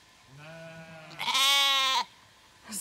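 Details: Zwartbles lambs or their newly shorn ewe on a County Kilkenny farm in Ireland, lambs not knowing their mother after shearing: a softer low bleat, then a louder, harsher wavering bleat lasting under a second.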